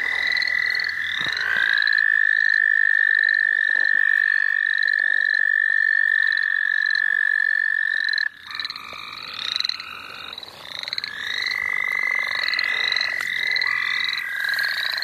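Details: Frogs at the St. Olaf College Natural Lands: a sustained, even trill holds for about eight seconds, stops, then resumes, while quick rising high peeps repeat steadily over it.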